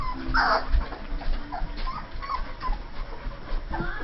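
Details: Saint Bernard puppies, two and a half weeks old, from a litter born June 18, 2011; a sharp high squeal opens, then soft scattered whimpers and small squeaks over a muffled background.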